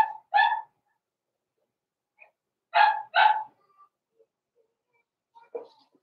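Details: Indoor puppy pen holding Blenheim Cavalier King Charles Spaniel pups, born November 14, 2022; a pair of clear yapping barks opens, then another close pair midway, followed by a softer, lower yelp near the end.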